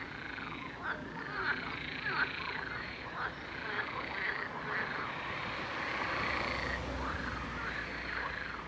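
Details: A dense chorus of toads at a lake in Gershony, Brest, giving mating calls heard especially at night over a two-month season, many voices overlapping in wavering, mid-pitched croaking trills without pause, over a low rumble.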